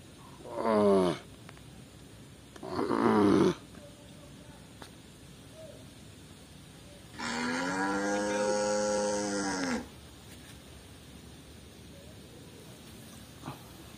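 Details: Tame white village cattle wandering loose in a garden: two short, rough snorting bursts near the start, then a quiet pause, then one drawn-out deep moo lasting about two and a half seconds.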